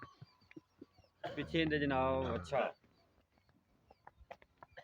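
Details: Friesian cow offered for sale in Pakistan, giving one loud, drawn-out low moo of about a second and a half with rich layered tones, set against faint clicks and quiet background noise.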